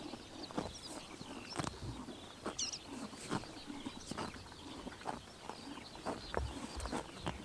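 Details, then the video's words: Crisp, uneven crunching of horses eating grass on a summer morning in Tuv province, Mongolia, with small birds twittering high in the background. "Horses eating grass in summer morning / chomping noises"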